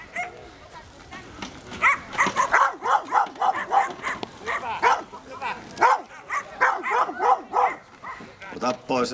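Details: Rapid, insistent barking from a German Wirehaired Pointer working a mechanical bear at a Finnish wilderness fair in Koria, 2011, keeping to the bear's rear; quick, arched barks several per second, overlapped by a man's Finnish commentary.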